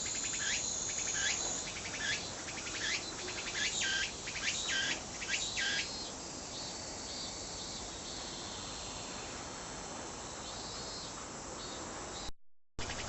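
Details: Tsukutsukuboshi cicada giving a few rising sweeps with stuttering pulses in the first seconds, then a steady high hiss that fades, and a brief cut near the end.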